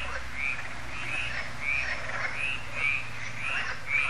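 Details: At Lac de Sabatte, a French lake, frogs chorus in the evening as solar lamps light up; raspy croaks repeat roughly every half second in a rolling rhythm, with a faint low background hum.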